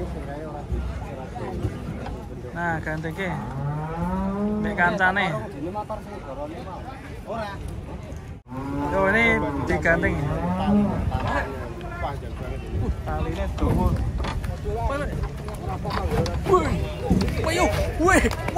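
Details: Busy unloading of giant cattle from a truck at Pasar Jelok market: repeated low moos, some rising and falling, are mixed with shouting handlers, thuds and a sharp knock midway.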